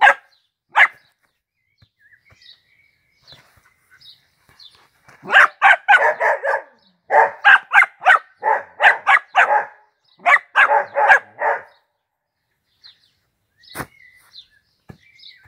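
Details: Dachshund named Peanut, a pet dog playing football, barking in repeated bursts: a few early yaps, then dense runs of sharp barks several per second from about five to twelve seconds, with brief quiet gaps.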